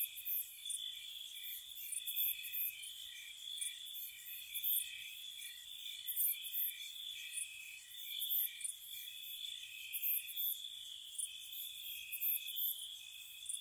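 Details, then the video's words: Crickets singing on a spring night at a cottage, an unbroken high-pitched trill from many insects overlaid with clustered, sharp chirp bursts every second or so. "Spring Cottage Night Ambience, Nature Sounds for Relaxation & Sleep, Cricket Sounds"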